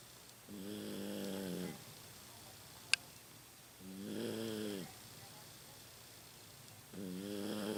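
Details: Snores of Rocky, a 15-year-old Toy Poodle whose snoring has become louder with age, sleeping indoors: three drawn-out, rasping breaths spaced roughly three seconds apart, with a single sharp click between the first two.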